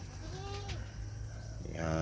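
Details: Goat in a herd where a doe has just given birth to a single female kid; one short, wavering bleat rising then falling, followed by a man speaking.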